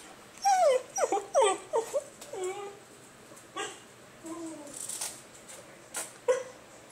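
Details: A male basenji gives a run of warbling, yodel-like whines and yips, rising and falling in pitch; he makes this noise for attention when he wants to play or go outside to pee.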